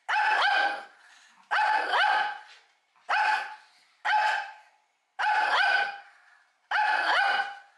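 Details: Pet Shih Tzu barking threateningly, as it always does at mealtime: loud harmonic barks, five of them in under eight seconds, each a drawn-out bow-wow that starts sharply and then fades.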